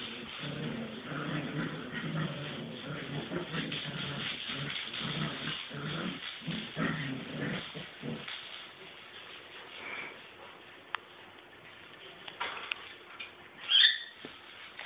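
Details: Two eight-week-old puppies play in a kitty agility tunnel. Their low, rumbling growls and scuffling fill the first eight seconds, then things turn quieter with occasional clicks and one sharp high squeak near the end.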